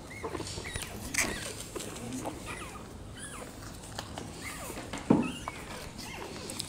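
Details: Rottweiler puppies nursing from their black mother, giving faint, high, rising squeaks and short chirps scattered through the clip, with soft shuffling and rustling underneath.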